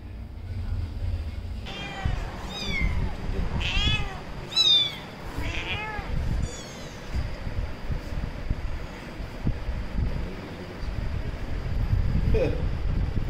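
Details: Mother and daughter cats in a cat family quarrel with a series of wavering, rising-and-falling meows and whining cries, over a steady low rumble of background noise.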